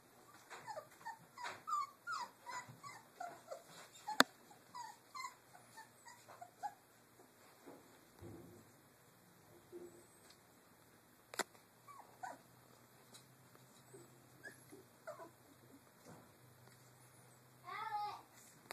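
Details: Litter of three-week-old Doberman puppies playing in a cage area, producing a busy run of high whimpers and short yips early on, then sparser squeaks, sharp knocks, and a final burst of whining; a person speaks briefly.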